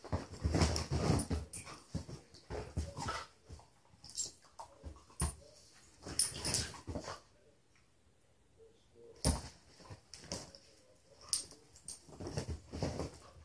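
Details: Beagles Mitzi and Lucky, rescued through SouthEast Beagle Rescue, wrestle playfully on a couch; short harsh growling snorts and huffs come in irregular clusters about every second, separated by a quiet pause midway.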